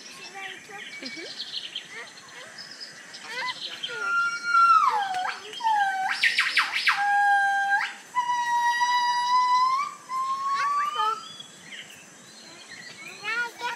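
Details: Several Gabriella's crested gibbons at the San Diego Zoo give loud, pure whistled notes that swoop downward, then a long note rising steadily.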